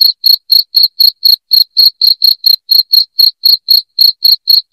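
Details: A cricket chirps loudly and without pause, meant as a rat repellent at home. Shrill pulses repeat roughly four times a second, evenly spaced, with nothing else audible behind them.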